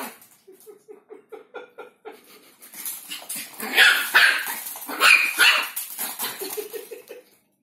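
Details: A Chihuahua in Simferopol, Crimea, around a banana, starts with quick, evenly spaced, thin whining yips about four a second, swells into loud, harsh, high barks, then eases back into rapid short yips.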